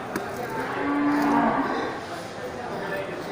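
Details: Water buffalo at a quiet buffalo market in Geulumpang Payong, Bireuen, Aceh, Indonesia, on 10 October 2020: one steady, low, droning moo of under a second rises from constant market murmur and distant voices.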